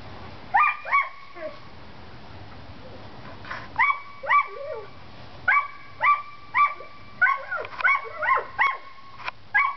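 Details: Outdoor play among seven-week-old Collie pups: short high yapping barks come in pairs and small clusters with gaps between, some squeaky whining notes mixed in, over a faint hum of background noise.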